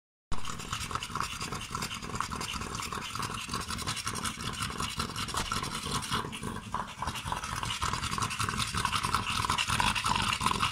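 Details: American Staffordshire Terriers named Loco and Zoro, two dogs at Svibovec Podravski in Croatia, panting in rapid, breathy, hissing bursts of about three breaths per second, kept up steadily for ten seconds with no other clear sounds.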